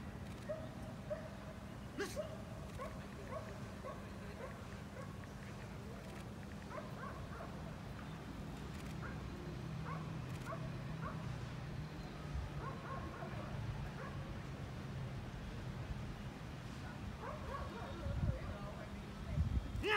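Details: Belgian Malinois in training at the 7th working dog competition in Hanoi, Vietnam; short high yelping barks and whines come in clustered bursts through the clip over a steady low hum, with louder thumps near the end.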